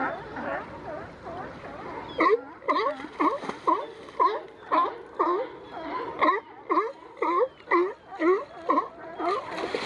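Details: Wrestling California sea lions at Monterey's Coast Guard Jetty, using their necks to pin each other; a splash, then rhythmic hoarse barking about two per second, loud and evenly spaced, with several animals calling together.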